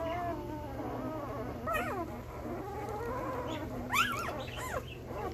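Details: Week-old male Belgian Malinois puppies, born 9/26/2021, giving thin wavering whimpers and a few sharp rising squeals near the end over a constant low hum.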